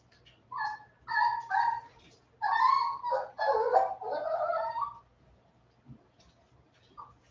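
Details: Westie puppies aged 47 days, back inside after an outdoor break, give a quick run of about eight short, bright yips and whimpers over four seconds, some bunched together, then fall quiet apart from a couple of soft squeaks.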